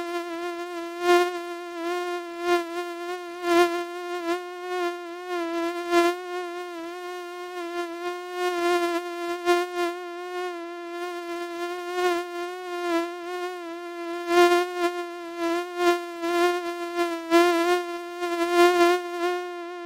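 A mosquito's thin, steady whine, a high nasal hum that wavers slightly in pitch.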